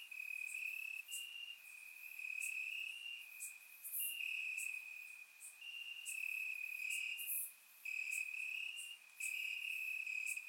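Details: Crickets chirp at night in grass in Bulgaria during warm summer weather; a dense, shrill, pulsing trill runs almost without pause, dipping once briefly, while scattered higher insect ticks sound over it.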